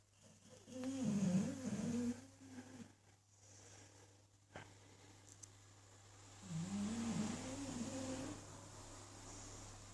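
An English bulldog snores in long, rumbling, low breaths, with a quiet pause between them.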